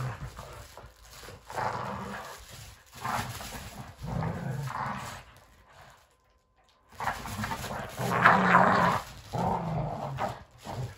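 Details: Boston Terrier and Keeshond, pet dogs indoors, tugging and fighting over a flimsy broken toy; low rumbling growls in repeated bursts, interrupted by a short quiet gap midway, then renewed louder growling and scuffling.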